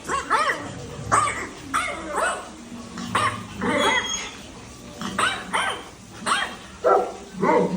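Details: Pet Labrador Retriever barking at home in a playful, funny moment: short harsh barks repeated about every half second to second in uneven bursts, with faint voices in the background.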